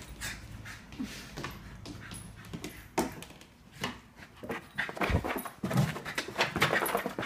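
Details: A Scottish Terrier panicking after its owner leaves, indoors; rapid noisy panting and scuffling with short whimpering squeaks, growing louder and busier toward the end, with broadband rustles and knocks throughout.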